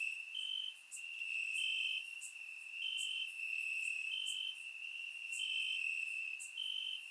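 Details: Crickets chirping in grass on a warm summer night in Bulgaria, recorded with a surround microphone: a steady high trill in overlapping bursts, with brief brighter clicks higher up roughly every second.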